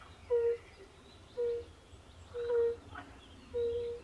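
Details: European fire-bellied toads calling by a woodland pond: four soft, flat, musical hoots, about one per second. Faint chirps and low rumbling sound in the background.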